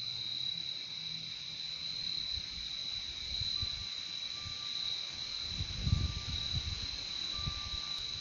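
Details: Crickets in a natural setting keep up a continuous high-pitched trilling drone, while a low rumble swells around the middle, brief faint tones appear, and a soft thump falls near the end.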